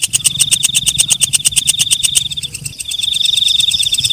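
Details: Night katydid (walang kecek) at night, loud rapid clicking ticks over a high sustained buzz, the pulses fading after two and a half seconds into a smoother, even high trill.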